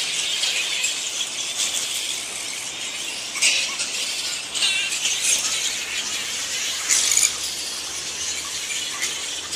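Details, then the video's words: Flying fox colony, also called giant fruit bats, roosting at Lansvale in Sydney: a dense, continuous wash of high squeaky chattering and shrill squeals, with louder screeches standing out near the middle and end. "Lansvale Flying Fox (Giant Fruit Bat) Colony"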